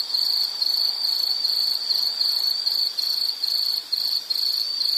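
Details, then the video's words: Continuous high-pitched insect trilling from nature sounds. The buzzy pulsing is broken into closely spaced bursts, with a couple of short breaks near the end. Background hiss, no other animals. "Sound · Nature Sound of nature sounds scenery L · insect"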